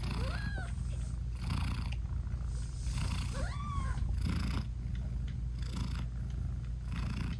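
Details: Mother British Shorthair cat purring steadily while nursing her newborn kittens, whose eyes are still closed; low continuous rumble with breathy bursts roughly every second, and two thin rising-falling kitten mews near the start and middle.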